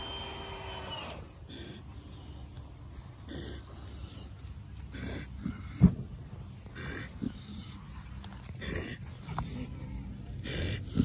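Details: A pet pig dozing off while being scratched and told to roll over. Low, rough rumbling snores and snorts come at irregular intervals, with rustling and scratching noises throughout and a brief human voice at the start.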